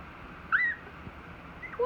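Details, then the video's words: Three-week-old Dachshund puppies squealing: two short, high whistled whines, the first rising then sliding down, the second a brief thin squeak at the end, over quiet room hiss. "Dachshund puppies 3 weeks old"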